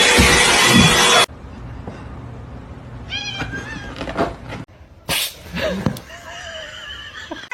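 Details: Domestic cat meowing: a loud noisy burst opens, then a series of short, tonal meows follows midway, and a few stronger, drawn-out mewing cries come near the end over quiet background noise.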